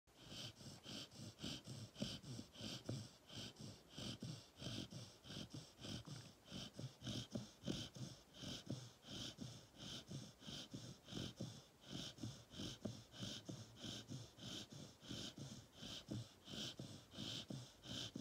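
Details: An 18-week-old male Rottweiler puppy snores in quick, wheezy breaths, with a rasping snort roughly every two-thirds of a second, keeping his owner awake.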